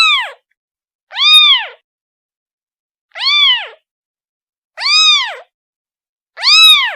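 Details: Repeated kitten meows calling its mother, five loud arched cries at somewhat uneven intervals of one to two seconds, each short and harmonic-rich with a rise and fall in pitch; nothing else audible.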